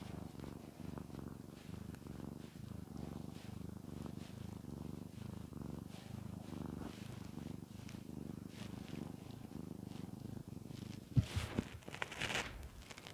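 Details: Shamotra the cat purring under petting, a low steady rumble with gentle pulsing, soft fur rustles throughout and a burst of louder handling noise near the end.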